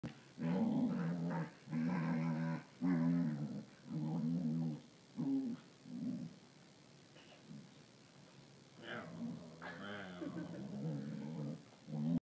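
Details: A Rottweiler "talks" to a person with low, drawn-out grumbles and rumbles, like growling speech.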